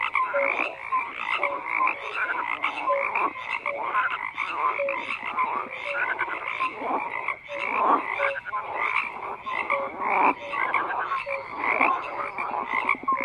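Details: Frogs croak continuously in a crowded chorus of grating, rattling calls. Small whistled notes repeat through the din every second or so, and the overall swell pulses irregularly.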